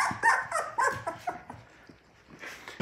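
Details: Six Labrador Retriever puppies waking in the morning, their mother nearby, in autumn. They give a cluster of short, high, squeaky whines and yelps that overlap and come in quick bursts, then fade to a few faint squeaks.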